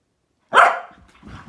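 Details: During a morning play session between a Malinois, an Akita and a Corgi, one abrupt, loud bark rings out, then a brief low growl.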